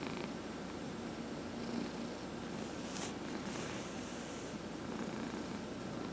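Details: Head massage of a 14-and-a-half-year-old house cat that has had lymphoma, producing a steady low purr throughout; a short sharp click and soft rubbing noises sound midway.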